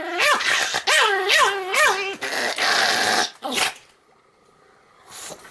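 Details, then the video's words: Pomeranian giving its morning and night greeting indoors; a run of rising-and-falling whining yelps about three per second, then a harsher growly bark, fading into room quiet. "ポメラニアン サムちゃんの朝と夜のあいさつ Pomeranian 犬の鳴き声"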